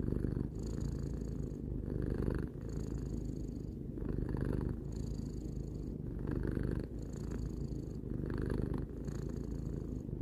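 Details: Three-year-old house cat Tarou purring contentedly, a deep vibrating rumble pulsing in regular breath cycles about every two seconds, brief quiet dips between exhalations and inhalations.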